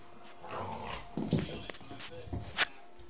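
A Staffordshire Bull Terrier gives short, throaty grumbling vocal sounds, with people speaking nearby.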